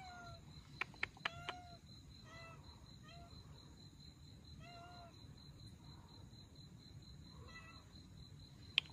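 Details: Rescue of an abandoned Russian Blue mother and her kittens: clusters of short, high meows with bright harmonics, several in quick succession, broken by loud sharp clicks at start and end.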